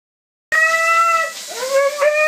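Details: Siberian Husky being blow dried after a bath, protesting loudly: a sustained harmonic howl that dips and then rises again into a drawn-out wail, with the steady hiss of a blow dryer behind it.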